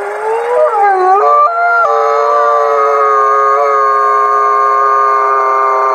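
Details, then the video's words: Gray wolves in captivity in South Salem, New York, howl together, dozens of layered voices: wavering notes that dip and climb in the first two seconds, then settle into a dense steady chord. "Forty-two Wolves Howling"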